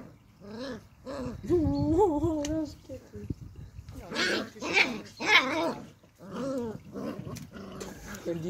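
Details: Beagle puppy playing in a garden, giving a run of whiny, wavering whimpers and yelps that rise and fall in pitch, with short pauses, some louder breathy yips near the middle and faint background sound.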